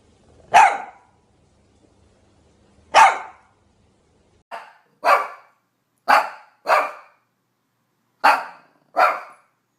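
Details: Shih Tzu giving a run of clear, sharp barks, first two spaced well apart, then closer pairs, eight in all, with silence between.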